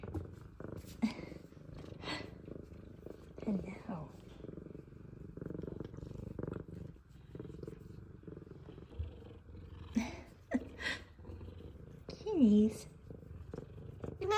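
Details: F2 Savannah cats welcoming their owner home from work with purrs and meows: steady low purring through the recording, broken by a few brief, bending meows, and the owner's cooing voice calling to them.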